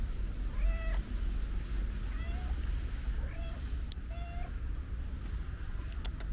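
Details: Stray cat with a pink nose, described as very affectionate, uttering four or five brief level-pitched meows at one- to two-second gaps, with low steady background rumble and occasional clicks.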